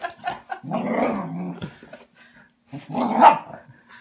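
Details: Welsh Terrier attacking a felted robin Christmas ornament, giving two rough, low growling bursts separated by a short pause, with small snuffling and scuffling noises before them.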